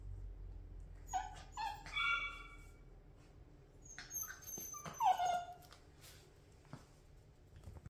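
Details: Young Great Pyrenees puppy being taught to roll over lets out a run of high, tonal whimpers and yips in two bursts, some notes sliding downward, in a quiet indoor room.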